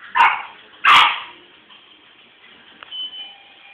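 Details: French Bulldog giving two loud, sharp barks close together, followed by quiet with a faint whine-like tone trailing after.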